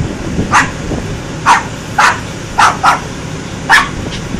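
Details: Single dog barking loudly in irregular short bursts, six or seven clipped barks with a couple paired close together, over a low murmuring background.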